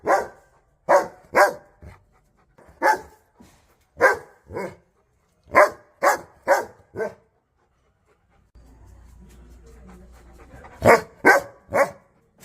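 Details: Aggressive dog barking in quick pairs and triplets of sharp barks, a quiet gap with low background hum, then a final burst of three rapid barks.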